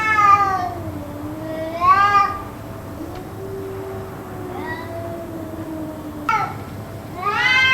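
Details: Possibly fighting cats trading long yowls over about two hours; wavering harmonic wails rise and sag in bursts, with a quieter low drawn-out moan running between them and steady background hum.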